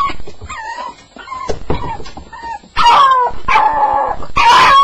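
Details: Staffordshire Bull Terrier on its first night, described as having a nightmare: high whimpering yelps and whining, sliding down in pitch, growing louder in bursts toward the end.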